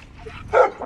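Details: Dogs meeting as a Dogo Argentino named Lilit enters a group of seven Rottweilers, among them Prenses and the female Gece, whom she had not met before; a single short, loud bark bursts out after a quiet moment.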